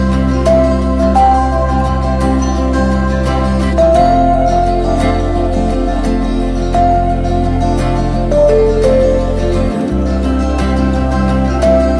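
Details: Gentle new-age instrumental music plays throughout, with no animal voice heard.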